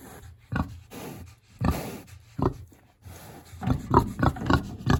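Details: Big hungry pig in its house in a village on a warm autumn day: short, low, rough grunts in irregular bursts, closing with a quicker run of grunts, plus faint rustling and scraping.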